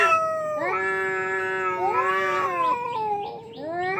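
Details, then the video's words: One of two fighting cats lets out a sustained, nasal yowl that climbs, holds, then sags and wavers, followed by a fresh rising wail at the end. "দুই বিড়ালের তুমুল লড়াই"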